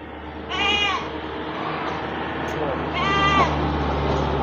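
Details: Goats at a morning livestock market in Wadaslintang, Wonosobo, Central Java; two short, wavering bleats about two and a half seconds apart over a steady low hum and market background noise.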